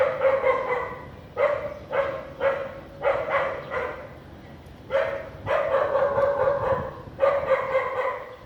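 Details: Domestic dog in Vientiane, Laos, barking on a sunny, lightly clouded afternoon on 15 April 2021; strong mid-pitched barks come in short bursts of two or three with brief quiet gaps between them.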